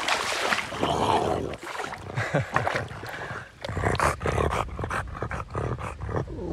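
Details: French Bulldog named Oleg, joyful while meeting strangers on a river bank; an excited, tonal whine early on, then a run of short snorting and snuffling bursts, with splashing water and faint voices around.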